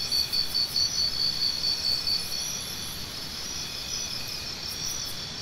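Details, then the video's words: A cricket chirps rapidly and steadily, about two pulses a second, for two seconds before falling silent, leaving only a continuous high insect hum; the recording is presented as tinnitus sound therapy. "Cricket Sounds"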